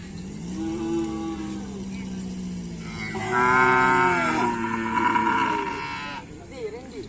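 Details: Several moos from racing cattle at a kerapan sapi training session, Asemanis field, 6 November 2022; a low wavering bellow gives way to a louder, brighter, overlapping lowing, with music playing underneath.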